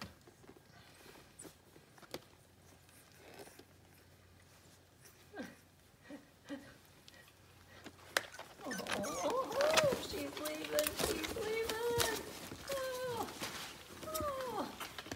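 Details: Three-week-old Soft Coated Irish Wheaten Terrier puppies, left behind after their standing mother dog walked off mid-nursing, indoors; quiet shuffling gives way to a burst of high, squeaky whimpers and rising-falling whines from several overlapping pups.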